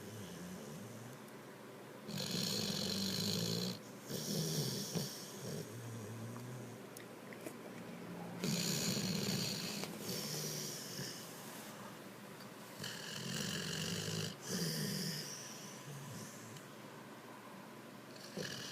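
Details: Gotti, a pet dog, snoring in a steady cycle of loud raspy inhalations lasting one to two seconds each, with hissing breathy texture and low rumble, alternating with softer gaps in a quiet room.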